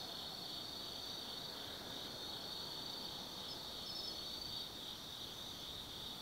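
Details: Night chorus of autumn insects in the forest at Tsukimi no Mori, Kaizu City, Gifu, Japan: a continuous shrill high-pitched ringing with a few brief chirps layered on top, over a soft broad background hiss.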